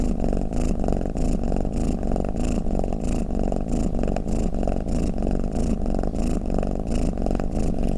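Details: Cat snoring, shared as a calming sound for cats: a low, even purring drone with quick gentle pulses and breathy hisses recurring about every second, nothing else audible.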